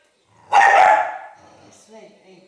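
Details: Female Maltese terrier, five years old and a former stray, kept as a pet and trying to eat a biscuit; one sharp, loud bark lasting about half a second, followed by faint, quieter low sounds.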